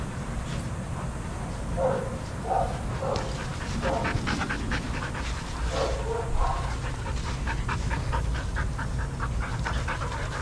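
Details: Adoptable shelter dogs at play in a daycare: clusters of quick barks arrive in bursts, with breathy panting and scuffling between them and a constant low hum behind.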